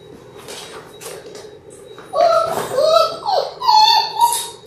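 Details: Six-week-old Labrador Retriever puppies indoors against steady room noise: after a muffled start, drawn-out, wavering whines from the pups rise and fall over the final seconds.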